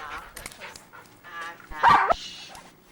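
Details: Luca, a chatty foster dog, produces a brief loud whimpering yelp with a wavering pitch, preceded by softer murmuring vocal sounds and some background speech.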